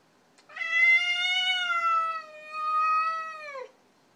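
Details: Domestic cat indoors, confronting a strange visiting cat it wants nothing to do with, gives a long drawn-out harmonic yowl of about three seconds that holds steady, swells, then drops at the end; a woman speaks softly around it.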